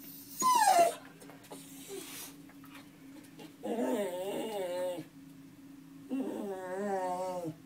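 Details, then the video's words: Dog singing indoors in a small room: a sharp falling whine at the start, then two drawn-out wavering howls with a quivering, vibrato-like pitch, each lasting over a second, separated by quiet pauses. "Singing dog"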